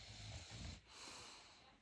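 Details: Roki, a pet dog asleep and dreaming, snores quietly: two soft, low rumbling breaths within the first second, then a faint airy hiss as the breathing fades.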